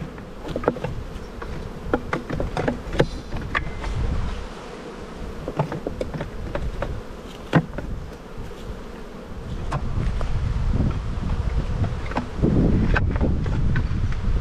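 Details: Honey bees at a spring hive inspection in the bee yard, the black hive getting another box: a continuous humming drone sits under frequent clicks, scrapes and dull thumps, with the buzz swelling louder toward the end.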